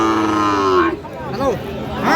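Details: Sahiwal bull calf at a Tangail cattle market, Bangladesh, 30 December: a steady, droning moo of under a second, then nearby human voices and market bustle.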